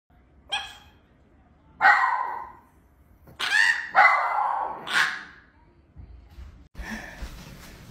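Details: Chihuahua giving five sharp, high yapping barks at irregular gaps of about one to one and a half seconds, followed by a short human voice and music.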